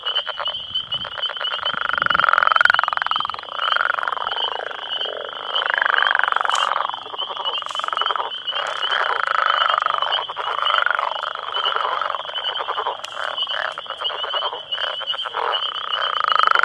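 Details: About ten male Northern Leopard Frogs, just woken in breeding season near a road, call together to attract females amid turf wars, giving long, rattling, growling snore-like calls; spring peepers also active.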